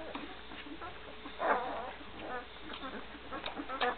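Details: One-week-old Great Dane puppies with Gracie, recorded in 2012; scattered short, thin squeaks and whimpers rise out of a soft background murmur, with a louder cluster near the middle and a few sharp peeps at the end.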